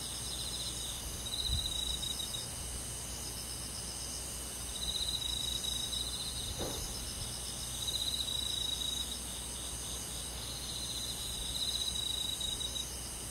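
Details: Summer night forest insects led by crickets: continuous high-pitched ringing with pulsed trill bursts returning about every three seconds, plus a faint brief knock in the background.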